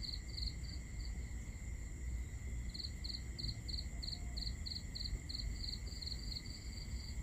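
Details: A cricket on a peaceful summer night in Southern Europe gives quick bursts of high, pulsed chirps over a steady insect drone and low rumble.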